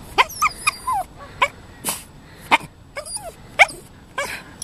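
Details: Male Toy Poodle doing what is called his dolphin impression: a string of short, high, squeaky yips and whines, about eight bursts in under five seconds, several sliding downward in pitch, with gaps of quiet between them.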